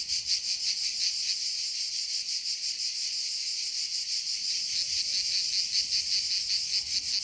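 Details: Chorus of cicadas in a forest, a shrill unbroken buzz with fast, slightly uneven pulsing and small swells in loudness.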